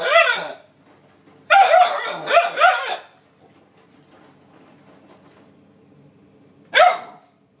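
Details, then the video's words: Banksy, a 9-week-old Alaskan Malamute puppy, telling off cleaning appliances he dislikes: a short yappy bark, then a rapid string of three or four high barks, and a final single bark after a pause filled with a low appliance hum. "9 week old Alaskan Malamute puppy hates cleaning appliances"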